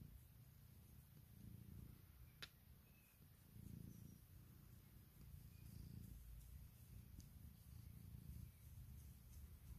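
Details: Steady, rumbling purr of Puk, a female house cat asking her owner for cuddles on waking in the morning; pulses build and ease in regular breaths, with a faint tick around the two-second mark.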